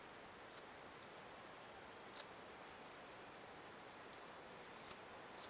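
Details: Male Transylvanian bush-cricket calling in Cosia, Romania, on 14 July 2013: short, sharp, very high chirps given singly at irregular intervals of one to three seconds, over a steady high-pitched insect hiss.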